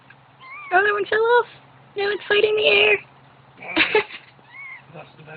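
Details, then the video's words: Newborn kittens cry while the mother cat is away, giving clusters of shrill, wavering mews in quick bursts with short pauses between them, then a softer rising mew near the end; a person speaks alongside. "Newborn kittens cry when mom is away"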